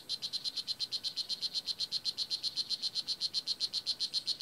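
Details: Nicaraguan blue jeans poison dart frog (Oophaga pumilio) in the Kahka Creek Rainforest Preserve calling in a rapid, regular series of sharp, high-pitched buzzy clicks, nearly four each second, with a quiet background.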